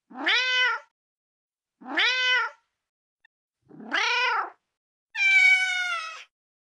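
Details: Female cat meowing four times: three rising, slightly falling meows, then a longer, higher and flatter final meow, all separated by silence.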